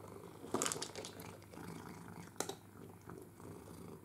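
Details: Male pet cat purring indoors while playing with an interactive ball feeder; steady low purr with sharp clicks and rattles from the feeder.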